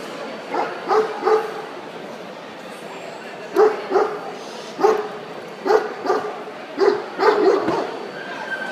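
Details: Central Asian Shepherd puppy in the minor puppy class at the 2013 World Dog Show, giving short high yelping barks in pairs and small bursts, about eight over nine seconds, with quiet gaps between and a faint hall murmur behind.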